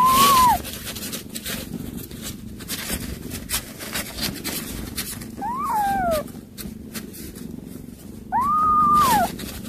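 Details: Cat in a setting where a mother cat calls her kittens; three drawn-out meows, the first and last level then dropping, the middle one sliding downward, separated by rustling and a low background hum.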